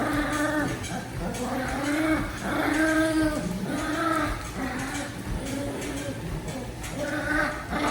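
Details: Daisy the dog growling while playing tug, a wavering, rumbling voice with tonal overtones that rises and falls in repeated bursts roughly every second, with a steady low background rumble throughout.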